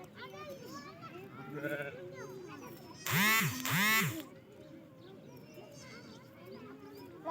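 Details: Young goat kids playing, running and jumping around a goat farm; two loud, harsh, wavering bleats or screams come back to back in the middle, over background music and people talking.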